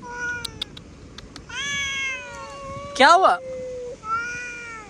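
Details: Pet cat with several meows, one long and gently falling, a harsh burst in the middle, and a final softer meow, with light clicks and tapping early on.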